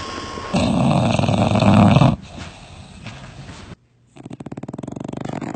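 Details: Domestic dog snoring: a loud, rough, low buzzing rattle for about two seconds, then quieter breathing, a short silence, and a rapid train of fine rhythmic pulses of snore.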